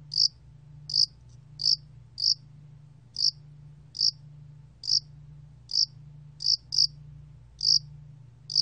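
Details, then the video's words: Loxoblemmus cricket, recorded in Korea in 2020 for a national biological resources archive, giving brief shrill chirps at slightly uneven intervals, about one to two per second, with a faint low background hum. "야산알락귀뚜라미, 여러번 듣기, 곤충소리"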